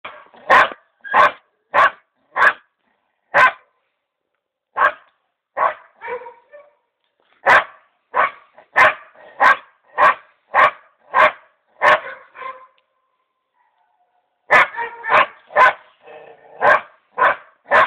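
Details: Female dog barking in reaction to being shown a mouflon head with its hide, awaiting taxidermy; sharp, loud barks in quick bursts of four or five, separated by brief pauses, with a longer gap before a final rapid run.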